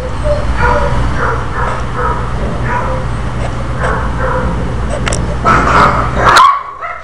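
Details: Chandler, a Pekingese dog, angry at his itching tail, making a string of short muffled growly barks and yips at a steady pace, with a louder burst near the end against a low background hum.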